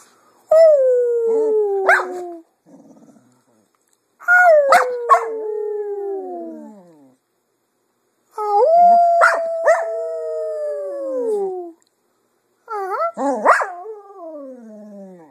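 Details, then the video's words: Female Cocker Spaniel kept as a pet sings in the afternoon, copying her owners' voices: four separate drawn-out howls, each opening with a sharp yelp and then gliding down in pitch, with short silent gaps between phrases. "Cocker Spaniel Sings in the Afternoon"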